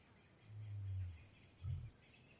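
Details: A lion in Kgalagadi Transfrontier Park gives a deep, rumbling moan of about half a second, then a shorter throaty grunt, over a faint steady high hiss, likely insects.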